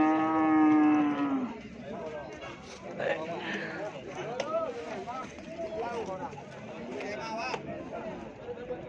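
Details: Cattle at Pasar Keppo livestock market in Pamekasan ahead of Eid al-Adha: one long, steady, tonal moo lasting about a second and a half, then fading into a crowded background of overlapping voices and market chatter.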